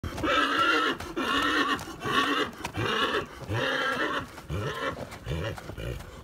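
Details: Clydesdale stallion neighing in a long, harmonic-rich whinny broken into a string of pulsed bursts, roughly six shaky phrases over six seconds, with low snorting breaths toward the end.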